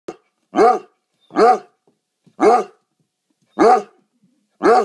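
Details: Basset Hound in foster care with a rescue group, greeting people in the morning: loud, deep barks with rising-falling harmonics, five in under five seconds, spaced roughly every second, quiet between.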